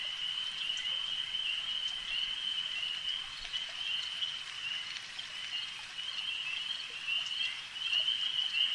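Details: Massed frogs at a lake keep up a steady high trill, the chorus wavering in strength and rising louder near the end, with scattered faint ticks in the background.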